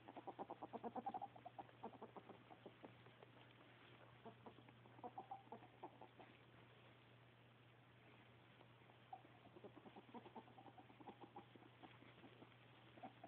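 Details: Happy ferret gives a fast, regular train of clucking pulses in the first seconds, then more scattered chuckles and a second burst near ten seconds, with a low electrical hum throughout.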